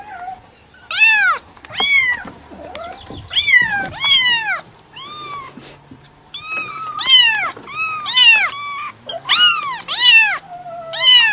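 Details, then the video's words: A cat meows insistently, about a dozen arched, harmonic meows in irregular succession, some short and clipped, others drawn out, over a faint low hum. "SONIDO DEL GATO/ MAULLIDOS// CAT SOUND/ MEOWING"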